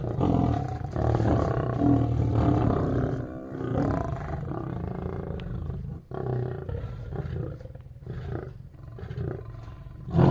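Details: Lions fighting, apparently at a zoo in Shiraz, Iran: deep, harsh roars and snarling growls pour out almost without pause, loudest over the first three seconds, dipping briefly near six seconds before more rumbling, rasping growls resume.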